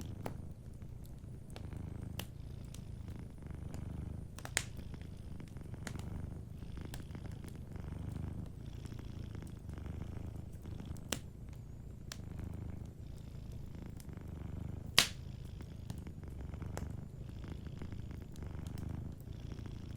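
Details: Sleeping cat purring softly beside a fireplace, a low rumbling drone that swells and eases with each breath, while sharp crackles and pops from the fire punctuate it throughout.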